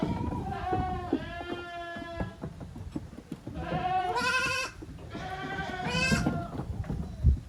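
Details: Goat kids playing hard in a farm exercise yard, 30 April 2023: several wavering, nasal bleats in quick succession, two long quavering cries near the end, with scuffling and knocking of the animals underneath.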